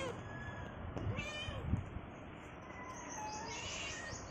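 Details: Hungry domestic cat asking for cucumber gives two or three short, faint rising-falling meows over steady broadband room hiss.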